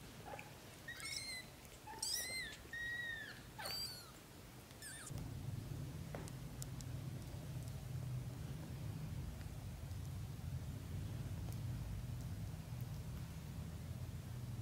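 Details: British Shorthair kittens in their first 30 days: a burst of thin, high, rapidly repeated mews with bright sweeping harmonics over about five seconds, then a steady low rumbling purr filling the rest.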